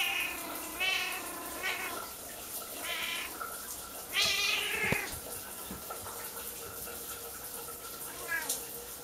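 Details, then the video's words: Pet Siamese cat Kiki, petted in the bathroom while the shower runs, meows loudly in a rapid series of short and longer cries, one near-screaming wail midway, then a softer final meow, water hissing throughout. "Siamese cat meowing before I take a shower"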